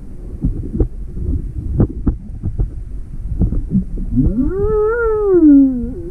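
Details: Inquisitive juvenile humpback whale near Maui, February 17, 2020, with its mother close by while the boat sits with motor off; after low knocks, a long harmonic moan rises, arches, then slides downward.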